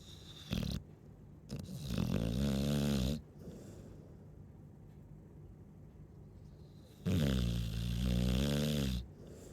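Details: Chow Chow snoring loudly in its sleep: short snorts, then long, buzzing, gurgling snores with a vibrating rattle, each lasting about two seconds, with quiet pauses between.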